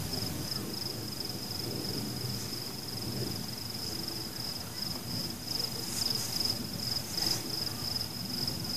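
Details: Crickets calling among exploding fireworks: a steady, high, pulsing trill runs throughout, with a low rumble and brief bright bursts of fireworks around six to seven seconds.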